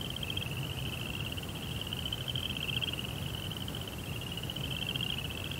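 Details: Continuous fine-pulsed cricket trill at one high pitch, heard at night in a Japanese rock garden beside a koi pond. Steady low rumble sits underneath.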